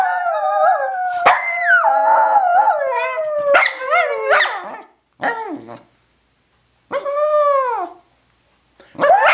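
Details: Howling dog serenading his teddy bear at naptime: sustained wavering howls for about five seconds, then shorter separated howls with arched pitch contours and silent gaps between them.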